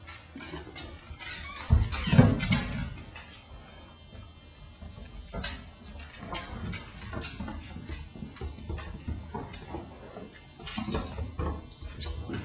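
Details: Weimaraners, a puppy and his father playing as the father drags him across the floor, give low, grumbling growls and a brief whine amid scuffling noises.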